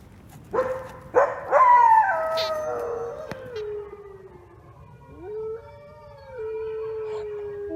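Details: A wolf gives a few sharp yelps that run into a falling, quavering howl. After a pause, a single clear howl rises, holds steady and fades, over faint background hiss.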